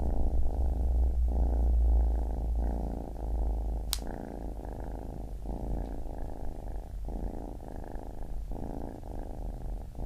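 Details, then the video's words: [1, 'yes', 'purr', 'Baby kitten purring close up, a deep low rumble pulsing in breath-long phrases of about a second each, with a single sharp click near the middle and no other sounds.'] "Baby Kitten Purring"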